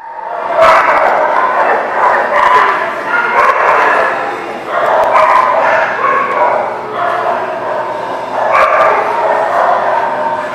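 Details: Many dogs bark together in a dense, overlapping chorus of yips and barks with no pauses, rising and falling in waves of loudness.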